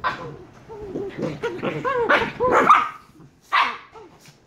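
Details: Shiba Inu puppies, two, aged 114 days: a rapid series of bouncing whines that build into louder, strained yelping cries, a short gap, then one more sharp yelp.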